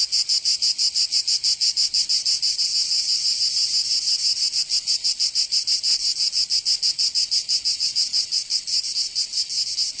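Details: Summer cicada chorus in Provence, southern France, a dense high-pitched rasping buzz throbbing about three times a second, steady and unbroken across the whole stretch.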